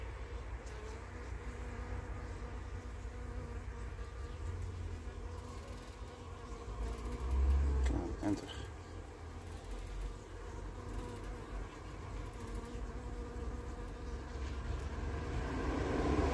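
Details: Honey bees of the Carniolan race gather around a queen back from her orientation flight, seemingly attacking her; continuous low wing hum with a brief louder surge near the middle.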